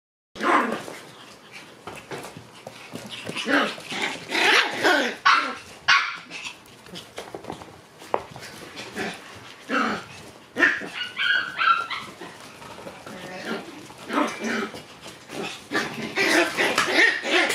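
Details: Shiba Inu puppy brothers born on June 13 play-fighting, with rough, broadband growls and yappy bursts tumbling over one another in quick irregular succession, and brief higher whining tones near the middle.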